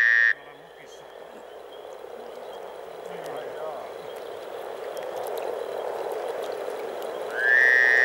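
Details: Springtime frog chorus from Teisko in Pirkanmaa, Finland, where over 300 frogs gather. A soft, continuous bubbling murmur swells gradually, framed by a brief high, steady tone at the start and another near the end.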